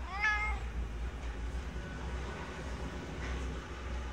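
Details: Friendly resident cat at a ski shop in Hirafu Village, Hokkaido, Japan, gives a short, warm meow rising then falling, followed by quiet low rumble and a faint second call.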